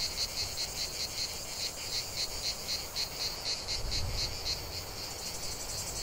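Cicadas sing a high, buzzy pulsing song, with beats repeating about four times a second.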